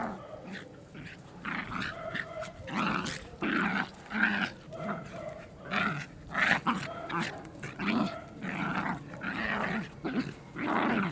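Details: Pet dogs growling and grumbling in rough, throaty bursts that rise and fall roughly every second, with brief bark-like yips mixed in.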